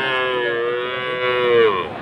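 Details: Friesian or crossbred cattle at the Aftabganj cattle market in Dinajpur, Bangladesh, on Saturday 11 March; one long, steady, harmonic moo lasting about two seconds, rising slightly in loudness near the end, with faint background noise.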